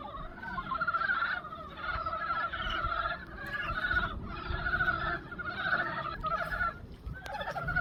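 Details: Frogs chorusing in a pond in spring: overlapping bursts of rapid, pulsed, nasal croaking, each burst lasting under a second and following one another almost without pause, over a steady low rumble.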